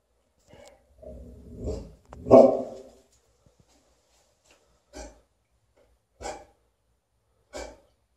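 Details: Alaskan Malamute barking at an umbrella: a rising growly vocalization leading to one loud bark, then three short, sharp barks spaced over about a second apart.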